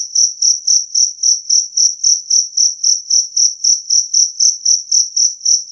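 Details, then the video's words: Clear, loud chirping of a two-spotted cricket, used to chase away rats; a steady series of high, ringing pulses about four per second, clean background with nothing else audible. "Suara Jangkrik Kalung Jernih"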